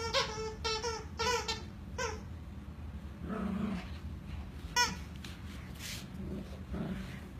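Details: Two happy Schnauzer puppies playing indoors: a few quick high-pitched yips at the start, then a short low growl midway, another sharp yip and a soft growl near the end.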